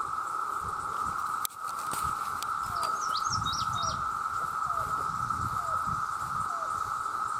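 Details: Male cicadas in their millions calling for mates: an intense, even, sustained drone. A sharp click breaks in near the start, then a bird adds quick high chirps and a series of soft falling whistles over low rustling.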